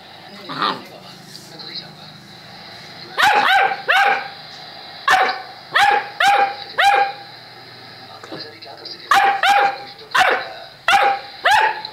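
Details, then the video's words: Saint Bernard giving repeated loud barks in uneven clusters of two or three, with short pauses between groups and faint background murmur. "Saint Bernard"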